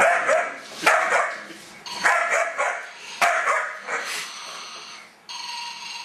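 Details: Young German Shepherd puppy, 2.5 months old, confronting a snoring toy doll; bursts of sharp, high barks and yips about once a second, ending as the doll's droning snore continues alone.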